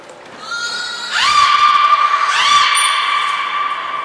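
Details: Belugas Hodoi, Gray and Mirai in training at Port of Nagoya Public Aquarium, December 2019; loud, rich, horse-like tonal calls that sweep upward and hold, two rising onsets about a second apart, with a brief high thin whistle.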